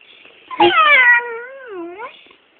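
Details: A female Staffordshire bull terrier that cannot bark makes a drawn-out, wavering moan-like vocalization while "having a conversation" with her owner.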